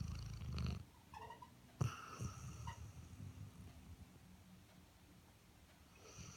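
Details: Airedale Terrier asleep, giving a short low snore at the start, then softer irregular breathing and faint snuffles, with a brief louder snort near two seconds.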